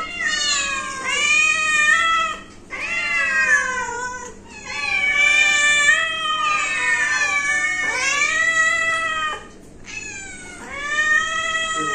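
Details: A family cat calls nearly nonstop with a series of loud, drawn-out, whining meows, each lasting about two seconds with brief gaps between, sliding down in pitch at their ends.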